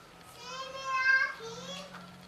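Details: Yupi, a pet cat nicknamed Kluwuk, lets out one drawn-out meow of about a second and a half, rising then sagging, with a faint low hum underneath.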